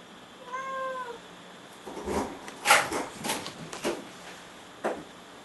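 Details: Cat giving one short tonal meow near the start, followed by knocking, rustling and handling noises indoors.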